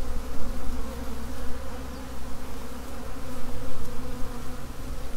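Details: A honey bee swarm hums loudly and continuously, a deep layered buzz of countless workers that rises and dips gently throughout.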